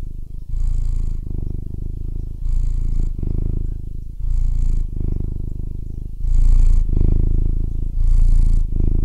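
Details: Purring of a fat house cat: steady, rhythmic low rumble alternating between louder and softer phases about once a second, with a short breathy hiss between phases.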